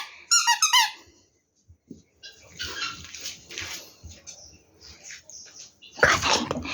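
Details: Rescued puppies suffering from screwworm infestation, taken in for a friend; a quick burst of high, squeaky yelps near the start, then quiet rustling and handling noises, with a loud sharp squeal at the end.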